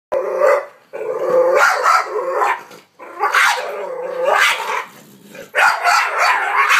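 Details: Boxer puppy confronting a vacuum cleaner; a run of high, strained barks and yelping growls in bursts of about a second, separated by short pauses.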